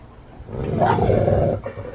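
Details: Dog eating a whole raw pig head: one voiced, rough growl of about one second, harmonic and slightly wavering in pitch, rising out of low chewing and crunching noise, then fading.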